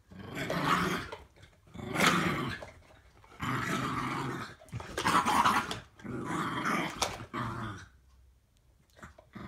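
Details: A 7-year-old Patterjack and an 8-month-old Staffy pup, indoors during tug of war, give harsh, throaty growls in four long surges with brief breaks between them. The sound ends in near quiet.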